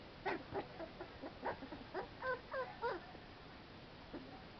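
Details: Playing American Pit Bull Terrier pups outside give a quick run of short, bright yips, about eight in under three seconds, followed by one lower whine near the end.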